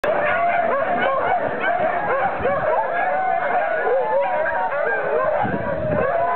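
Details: Many huskies at kennels at Iso-Syöte, Finland, raise a dense, continuous chorus of overlapping wavering howls and yelps, with sharp rising yips breaking through now and then.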